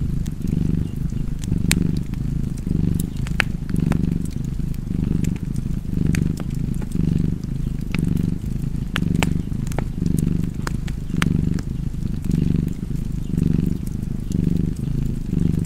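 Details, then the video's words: Contented cat purr next to an open fire: a throaty rumble in regular inhale-exhale pulses, about a dozen cycles, with frequent sharp fire crackles on top. "Purring Cat and Fireplace"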